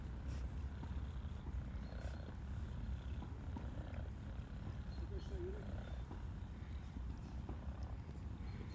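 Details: Shy stray kitty, now happy under a human hand, purrs with joy; a low buzzing drone keeps going steadily, with occasional brief clicks and rustling on top.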